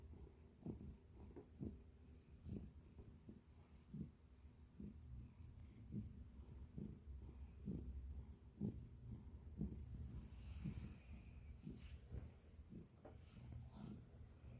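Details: Quiet, low purring from a pet cat, rhythmic breathy pulses roughly once a second over a deep rumble, with some handling or rustling noise in the second half.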